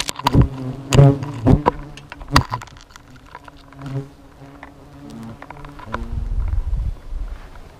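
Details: Hornets at their nest at nightfall, a low steady droning buzz with layered overtones running throughout, broken by sharp knocks and clicks in the first seconds and a rumbling thump near the end.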